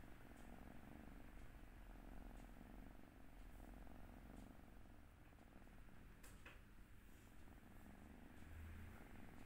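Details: Sleeping eleven-week-old Turkish Angora kitten on its second day in a new home, purring softly: a low, steady rumbling drone that runs throughout, with faint clicks and light room noise above.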